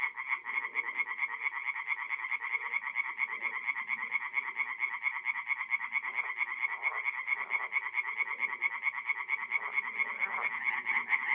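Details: Forest pond at night in mid-April, North-East Italy, with tree frogs in full song: continuous fast, regular croaking pulses forming a steady chorus, faint lower murmurs underneath.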